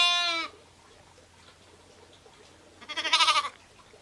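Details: A sheep or lamb bleat cut off at the start, then a quiet stretch with a low hum, then a short, pulsing, wavering bleat near the end.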